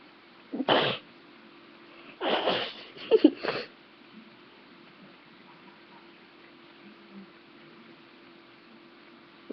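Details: A male pet cat, asleep, lets out short breathy sneezes: one sharp burst near the start, then a quick cluster of two or three more a second later. The rest is quiet room hush.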